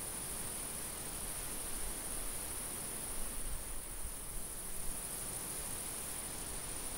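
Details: In a summer field a cricket's sustained, sharp high trill runs throughout while gusts of light wind rumble low.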